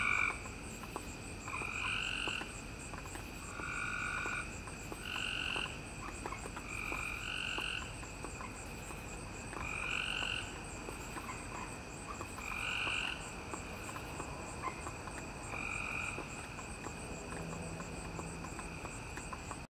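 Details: Chorus of frogs recorded 7/5/2017, many voices overlapping: short ringing notes stacked at two pitches, repeated in clusters, with a constant thin, high pulsing buzz behind and a soft low hum near the end.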